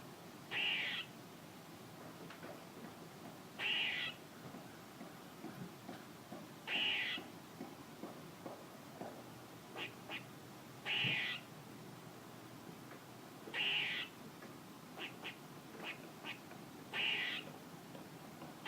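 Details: Repeated nasal, buzzy squirrel calls roughly every three seconds, each a short harsh burst, with scattered quick clicks and chips between them against a quiet background.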